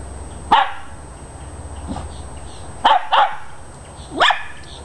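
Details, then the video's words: Dachshunds after a squirrel give sharp yapping barks, a single bark, then a quick double bark and a final rising yelp, with quiet background noise between. "Dachshunds after squirrel"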